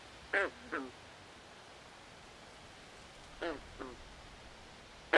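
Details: Night chorus of frogs in a swamp, heard as two pairs of quick, nasal, quack-like croaks separated by a few seconds of quiet hiss, with another croak cutting in at the close.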